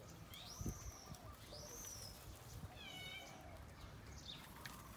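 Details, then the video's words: Tony, a baby monkey, cries in anger at not being nursed: two high, drawn-out arching squeals, then a shorter stacked, wavering whine, with soft handling thumps and a low hum beneath. "Baby Monkey Tony Crying Time|Tony Cry Angry Daddy Not Nursed"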